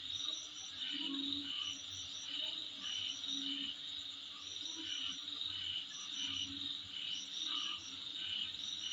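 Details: Insects sounding in front of a house make a shrill, continuous high trill with rhythmic bright pulses and scattered high chirp clusters, over a faint low background murmur.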